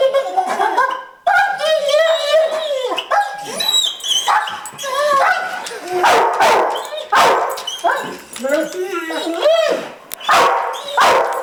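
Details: Dog overexcited about going to the park, trembling as it vocalizes: long wavering whines and monkey-like cries broken by sharp yips and short barks, coming in bursts every second or two, with a person talking alongside.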